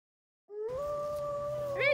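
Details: Pharaoh Hound howling, recorded on a phone during its first year: a single sustained, steady tonal howl with clear harmonics, holding level pitch for over a second before breaking into a wavering rise at the end.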